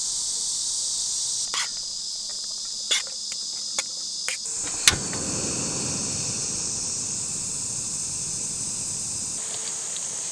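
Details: Cicadas singing hard during a summer heat wave at a quiet forest campsite in a closed school in Yecheon, North Gyeongsang, with only two sites occupied; a steady high hissing drone throughout, with a few sharp clicks and knocks in the first half.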